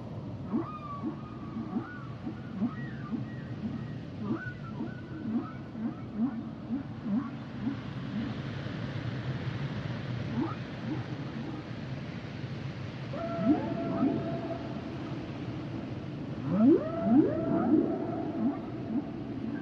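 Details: Humpback whale song with clustered bursts of short tonal upsweeps and chirps recurring in phrases, separated by quieter stretches of low ocean hiss.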